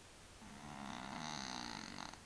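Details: Male pet cat named Willy with a sinus problem, snoring: one long raspy breath with a buzzy, vibrating tone lasting about two seconds over a low steady hum.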